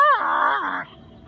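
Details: Husky/wolf mix Max vocalizes during play with Tor, a quiet Rottweiler: a single loud, drawn-out groaning moan that starts high, flattens and slides down, lasting under a second before fading to background.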